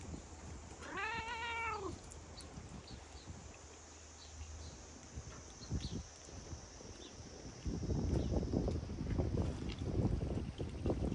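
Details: After rain, a large-headed fluffy cat walks up meowing before being petted: one clear, arching meow early on, then rustling and handling noises, with a low hum underneath.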